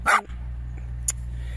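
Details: Jack Russell Terrier in a garden: one sharp, loud bark at the start, followed by a much fainter short yip near the end, over a low steady hum.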